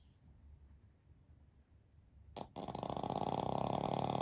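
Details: Sleeping Pekingese x Shih Tzu mix dog napping with its family; quiet room, then a brief sharp snort and a loud, rattling, pulsed snore building through the last second and a half.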